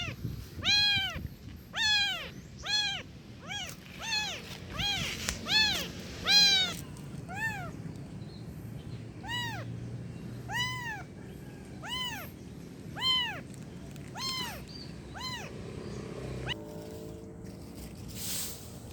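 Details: Rescued kitten crying with a long series of thin, arched mews, rapid at first then spaced a second or more apart, over constant low background hum and occasional rustling.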